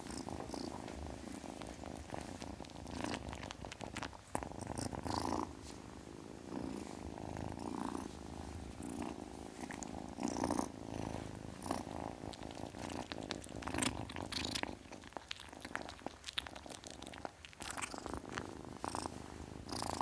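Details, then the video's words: Kitten purring steadily, a continuous low rumbling vibration broken by soft clicks and rustling handling noises. "Kitten purrs sound, kitten hiss sound"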